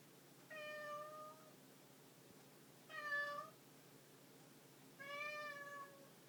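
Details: Pet cat meowing three times at roughly two-second intervals. The meows are long, tonal and evenly pitched, with the middle one loudest, over faint room noise.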